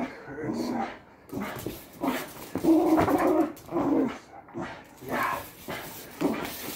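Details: Patterdale Terrier at tug of war play, gravelly growls rising and falling in uneven pulses about every second, with faint human voices in the background.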